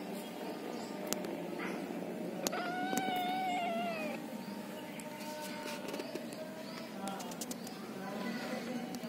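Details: Domestic cat, a mother with her kittens, giving one clear drawn-out meow with a slightly wavering, tonal pitch in the middle of the clip, over steady low background hum and a few faint clicks.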